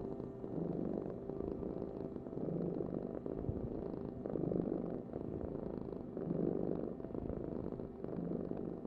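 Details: Cat purring softly and continuously, a deep grainy rumble rising and falling in gentle surges about twice a second-pair, quiet background otherwise.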